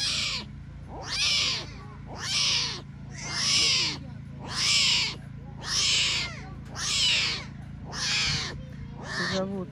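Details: Tiger cubs abandoned by their mother at a Crimean lion park near Belogorsk cry insistently: eight strong, arched, harmonic mewing wails at a steady rhythm of roughly one every 1.2 seconds, over a low constant hum.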